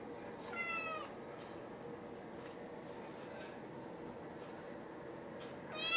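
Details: Willie White Paws, a sweet male cat with a neurological condition that makes him wobble, gives a clear high meow with stacked rising-falling harmonics near the start, a second meow at the end, and faint short chirps in between.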